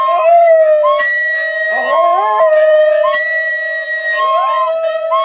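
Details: A Dachshund sings along to a flute and guitar, howling with its voice sliding upward in drawn-out wails over a steady flute tone; recorded 18 October 2014.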